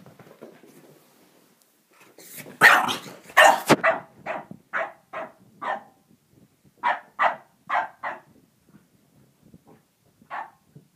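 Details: French bulldog barking at a tiger toy it is still unsure of. After a quiet start, a burst of loud, sharp barks comes, then short barks in quick runs of three or four with pauses between them, and one last bark near the end.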